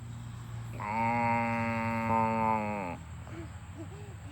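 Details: Cows running home to the barn on a farm; one long, steady, harmonic moo of about two seconds, level in pitch, then ending, followed by quieter low rumbling and faint short sounds.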